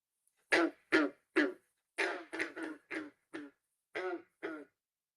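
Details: A male green frog (Rana clamitans, the "banjo frog") in Texas gives its advertising call in chorus: a run of low, twangy gunk notes, like an untuned banjo string being plucked.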